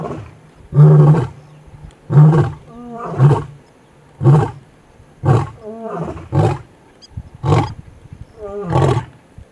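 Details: In the early morning in the Serengeti, a lion gives a series of deep, throaty grunting roars, about one each second.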